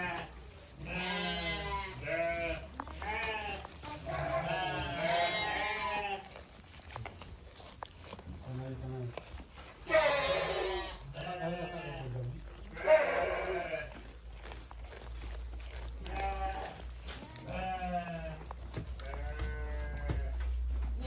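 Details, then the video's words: Goats bleating at feeding time, several wavering, quavering bleats in uneven bursts, some overlapping, mixed with people talking in Indonesian and a steady low hum. "Kasih makan kambing"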